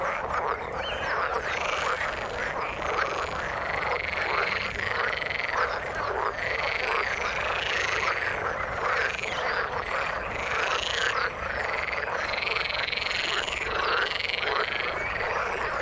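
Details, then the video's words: In the water, a thick chorus of many frogs keeps up rapid, rattling croaks that overlap continuously. Brighter pulsing calls recur throughout, with no other sounds standing out. "Frog sound in the water"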